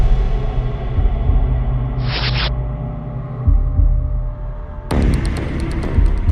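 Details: Low droning music with a deep rumble and a brief whooshing burst; no animal voice is heard.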